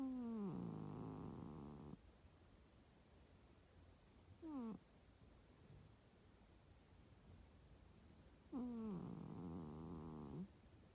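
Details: Pet cat that crept under the futon during its owner's nap and snored loudly while asleep in bed: each snore opens with a falling whistle-like tone and becomes a rattling low drone of about one and a half seconds, repeating roughly every four seconds.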